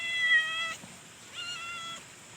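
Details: Leopard cat at play gives two clear, tonal meows, the first level and under a second long, the second shorter and fading downward, separated by a brief quiet gap.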